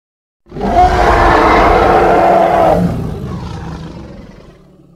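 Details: Hippopotamus from Congo letting out a coarse, booming roar lasting over two seconds, followed by a softer, trailing low grunt that fades gradually.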